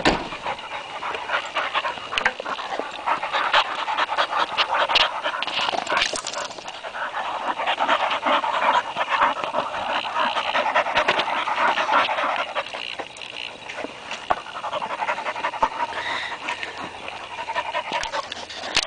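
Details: Bull terrier and labrador playing together in mud: continuous rapid, breathy panting, roughly two or three huffs a second, steady throughout with faint whimpering hints and no other clear sounds.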